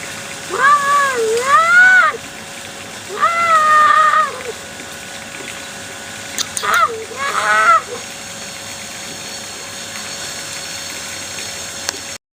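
A young tiger gives three drawn-out, wavering mews, high and nasal, separated by short pauses.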